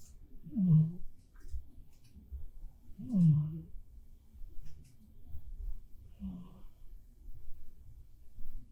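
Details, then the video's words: Bapfuri, a black cat, snores in deep sleep; low grunting snorts come in three evenly spaced bursts roughly every two and a half to three seconds, with soft breathing between them in a quiet room. "고양이도 코 엄청 골 때가 있습니다.(밥푸리 코골이 송"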